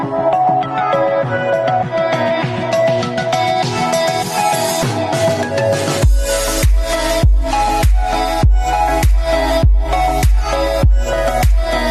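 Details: Electronic dance music with a steady, heavy beat and layered synth tones; no animal sounds are heard.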